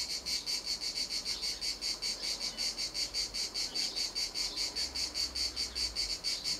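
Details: Cicada singing at Montcarra, an unbroken high rasping drone that swells and fades in regular pulses, about 150 a minute, with nothing else clearly heard.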